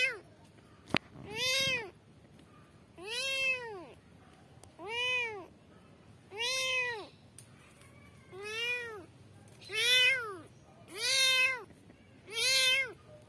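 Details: Kitten (Felis catus), meow: kittens calling for their mother.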